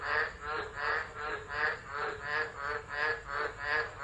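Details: Tropical frogs singing through a tropical storm at Driver, Northern Territory, Australia, December 2013, phone left recording; rhythmic rasping croaks pulse roughly three times a second in a thick overlapping chorus.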